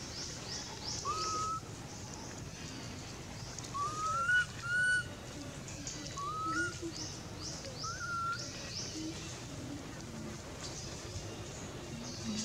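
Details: Four plaintive whistled cries from Anissa, a baby monkey hungry for milk and calling her mother, each brief and rising then falling, spread across the stretch, with constant high pulsing insect-like sounds and rural ambience behind.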